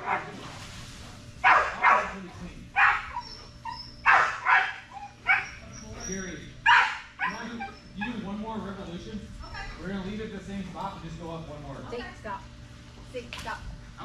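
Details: Belgian Malinois Strider during Fetch-It (Air Retrieve) dock diving practice, October 25, 2022: a run of seven loud, abrupt barks, some in quick doubles, over the first seven seconds, then quieter voices and softer sounds.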